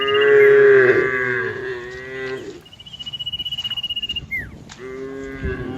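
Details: Cows in green fields, part of a grazing herd, give a long, loud, tonal moo lasting over two seconds. A steady high whine and a short falling whistle follow, then another moo begins near the end.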